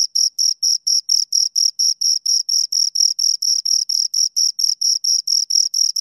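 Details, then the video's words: Two crickets chirping, a steady high-pitched pulsed trill of short bursts, about four per second, evenly spaced and loud with a faint upper overtone, no other sounds present. "Two Crickets Chirp Sounds for Two Hours Right on Your Ears"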